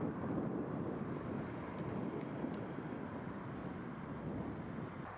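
Steady low rumble of wind buffeting the microphone, with a distant engine-like drone and no animal calls.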